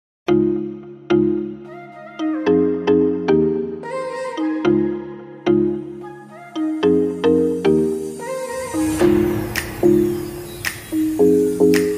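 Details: A bright chiming melody like a marimba or ringtone plays in spaced notes, later joined by a rising hiss of noise, with no animal sound present.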